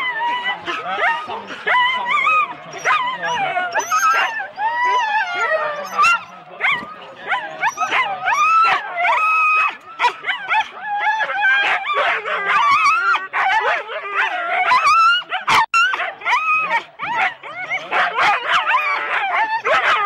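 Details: Husky sled dogs in four-dog teams at the start, Rendlesham, January 2016, taped on analogue cassette: a dense, continuous chorus of overlapping yelps, rising whines and sharp barks from many dogs, with scattered clatter and brief voices.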